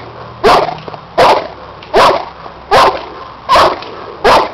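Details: Cane Corso, aged seven, barks at a helper in a protection work test with a hidden sleeve: six strong, evenly spaced barks, one roughly every 0.8 seconds, over a quiet background.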